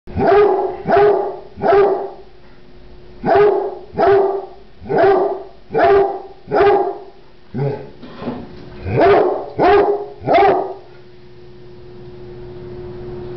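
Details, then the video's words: Small dog that loves to bark: short, sharp barks in quick runs of two to four, about eleven in all, with brief pauses between runs over a steady low hum. "Im Short and Love to Bark"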